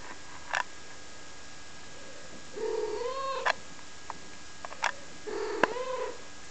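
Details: Wren's kittens, five weeks old, recorded 7 April 2011: thin, high mews with rich overtones, a couple of longer wavering cries and short sharp squeaks between them, quiet indoor background.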